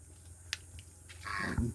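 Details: Grown offspring of a native pig, now white in colour: a sharp click, then a short harmonic squealing grunt with a deep grunting undertone late in the clip, over a steady low hum.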